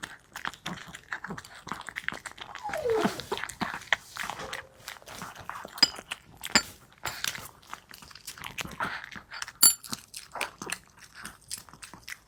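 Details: Maltese called Wanzi tucking into a nutritious meal indoors; dense, rapid crunching and clinking bites with wet lapping, steady chewing throughout and a few sharper clinks of bowl contact.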